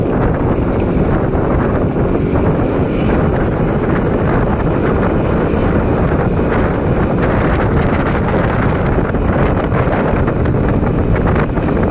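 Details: Loud wind buffeting the microphone fills the whole recording, with no animal sound.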